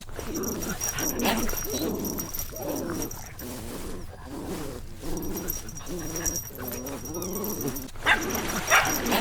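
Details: Puppies playing outdoors in nature, giving wavering, low whiny moans and growl-like tones in uneven runs, with a steady faint high whine in the background.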